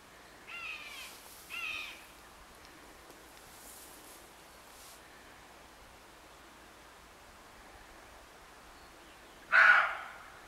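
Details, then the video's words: Roe deer at the edge of a wood on a late July morning, giving one loud, hoarse, abrupt bark near the end, preceded by two fainter harsh rasping calls early on, against a quiet rural background. "Le cri du chevreuil"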